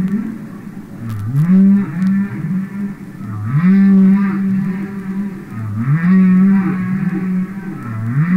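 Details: Real humpback whale recorded underwater for a record album: deep, drawn-out mooing groans that rise then hold steady, repeated about every two seconds in a slow rhythmic series, with faint clicks and sea hiss.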